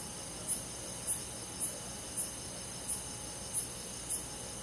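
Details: Crickets singing on a summer night in the countryside woods. Evenly spaced, piercing short chirps repeat roughly every 0.6 seconds above a steady high buzz from many insects and a faint low rumble.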